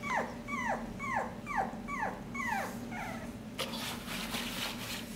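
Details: Six-week-old Havanese puppy giving a quick run of six high, downward-sliding whimpers, about one every half second, then falling quiet over a low steady room hum.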